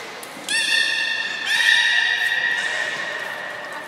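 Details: Beluga at the 16:00 public training, Port of Nagoya Public Aquarium, Japan, 4 November 2018: a sustained, nasal, whinny-like call rich in overtones that swells partway through and carries on for about two seconds over a hushed indoor background.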